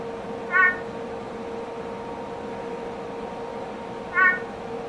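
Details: A captive male Peacock tree frog (Leptopelis vermiculatus) gives two short, bright, nasal clacks about three and a half seconds apart in an advertisement call, over a steady low electrical hum.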